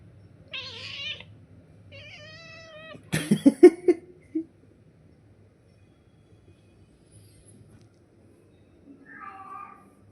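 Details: Pet cat Pari calling her owner at home: two meows in quick succession, then a burst of loud clattering thumps, silence, and one softer meow at the end.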